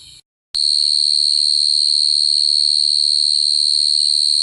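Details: Cricket singing a continuous, high, shrill trill that switches on abruptly after a brief silence and then holds steady and evenly pulsed to the end, over a faint low hum.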